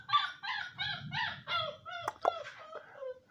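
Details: Seven-week-old Siberian Husky puppies yip and whine in a rapid run of about nine short, falling-pitched cries, a few sharp clicks near the end, over a soft low background rumble.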